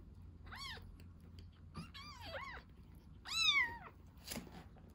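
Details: Baby kitten taken in as a rescue, feeding on milk: a run of high, thin arched mews, some doubled, the loudest near the end, followed by a brief broadband rustle in a quiet room.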